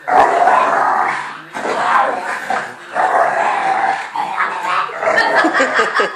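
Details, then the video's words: Fudge, a three-year-old female American Bulldog, plays rough with Patch, a new puppy, at home. Harsh, continuous growling rumbles on in long bursts, broken by two short pauses, with scattered yips near the end. "American Bulldog attacks pup"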